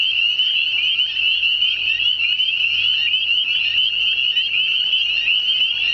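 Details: A dense spring chorus of spring peepers, with possibly other frogs, heard all around at a pond but unseen, gives high shrill peeps blurring into one continuous ringing trill.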